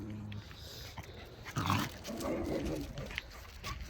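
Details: Dog encounter on a neighbourhood walk with Bokdori and five local dogs: a single strong, harsh bark rises out of the background about midway, surrounded by low murmuring voices and steady outdoor hiss.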